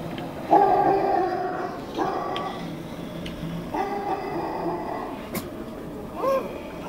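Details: Pet dog at home reacting to dog barking sounds played by its owner, giving several drawn-out, tonal howl-like barks in short bouts, with low background noise and a sharp click near the end.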